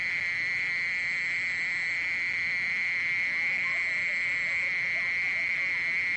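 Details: A continuous, even trill from a mole cricket, a single sustained high buzzing tone without pauses and with a weaker overtone above, over faint background hiss.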